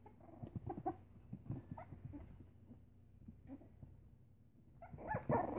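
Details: Pembroke Welsh Corgi puppies, three weeks old, playing together: soft grunts, snuffles and little yips patter along irregularly, rising into a louder scuffling burst of squeaky cries at the end.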